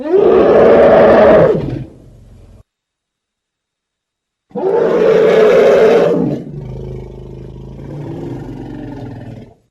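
An elephant gives two loud, harsh, rasping roars a few seconds apart.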